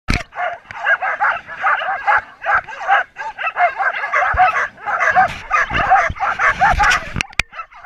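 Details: Team of twelve Samoyeds, a mixed team from two kennels, at a 2014 race in Oberndorf, barking and yipping excitedly on the way from the stake-out to the start; dense overlapping high barks and yelps, with a few sharp clicks and knocks.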